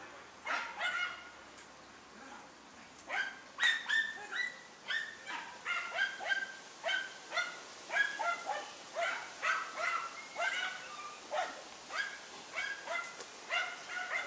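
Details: Dunja, a Deutscher Jagdterrier, working a wild boar: rapid, insistent barking kept up for the whole stretch, bright yapping notes repeated about twice a second, occasionally doubled, with some uneven spacing between bursts.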